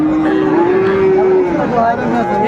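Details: Friesian and cross-breed bull calves traded at Ranigonj market in Dinajpur, Bangladesh, 28 November 2024. A single sustained moo holds its pitch for over a second, then a higher short call follows, with crowd noise underneath.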